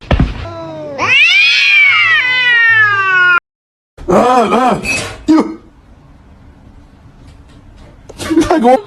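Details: Domestic cat meowing: one long, loud, drawn-out meow that rises then slowly falls over about two seconds, followed by a shorter wavering call, with people's voices and laughter around it.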